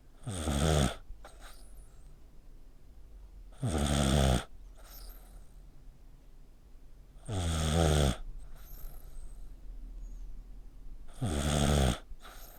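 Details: Pet dog snoring like a person while asleep, its neck squeezed tight; four loud rasping snores, each about a second long, roughly every four seconds, with quiet breathing between in a still indoor room.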